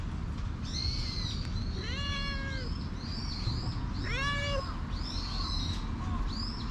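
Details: Stray cat dashing up to seek affection, recorded on a GoPro HERO8: two drawn-out, harmonic meows, the second one short and rising then falling, over steady low rumble, with high chirping birds throughout.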